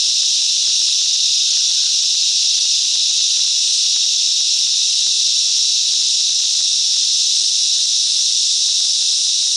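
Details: Cicadas in mangrove bushland at Coffs Harbour, NSW, Australia, singing as a group: an unbroken, intense, high hissing whine that stays even from start to finish. Nothing else stands out.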